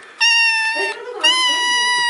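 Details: Kitten giving two loud, sustained, flat-pitched meows in quick succession, the second longer, in a small indoor space with a low voice faintly beneath.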